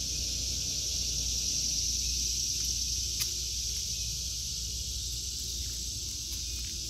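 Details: Cicadas singing in an August 2023 vegetable garden: a steady, high, hissing drone that holds unbroken throughout, with a few faint clicks and a low outdoor rumble underneath.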